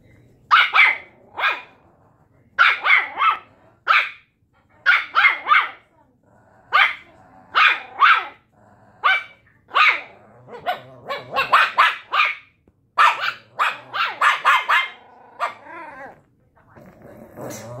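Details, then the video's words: Puppies arguing, trading sharp, high yappy barks in rapid bursts of two to four, some overlapping and crowding together near the end, with a brief low whine and near silence between volleys. "Puppies arguing"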